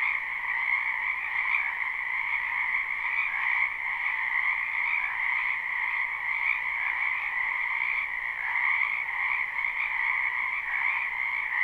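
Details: A wetland full of frogs croaking in spring, captured live: thick, steady chorus of rapid trilling croaks layered into one continuous hum, with gentle surges in loudness and no pauses or other sounds.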